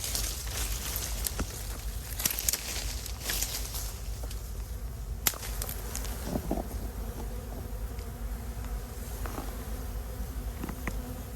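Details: Wild bees hunted for their hives in mangrove and Khmer forest, where three nests were found; a steady low droning hum with layered tones holds throughout, broken by scattered clicks and rustling footsteps early on.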